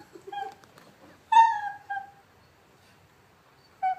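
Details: Sausage dog whining to coax a Jack Russell into play: soft whimpers, then a loud drawn-out tonal cry that falls away, followed by a quieter whine and a final short cry after a pause.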